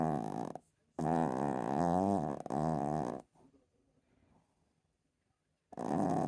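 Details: Chihuahua snoring loudly: long, grating, throaty rasps in three close bursts, then a few seconds of near silence with faint breathing before another harsh snore begins.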